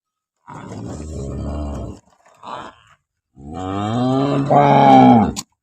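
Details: Jersey Friesian cross cow, offered for sale in Pakistan, gives two long, deep moos. The first is steady and low, and the second is louder and climbs in pitch toward its end. A brief grunt sits between them.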